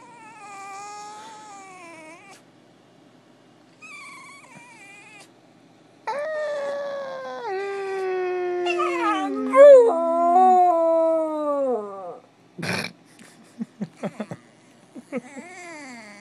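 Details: Spike, a pet dog recorded as a puppy, gives quiet whines that swell into a wavering, falling howl with yelping breaks, then short yips and a few clicks.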